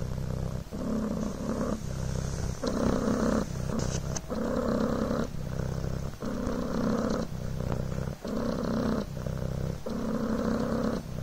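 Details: Pet Devon Rex kitten Coco purring contentedly on a blanket, a deep vibrating drone pulsing in breath cycles of about one second, with a few faint soft clicks partway through.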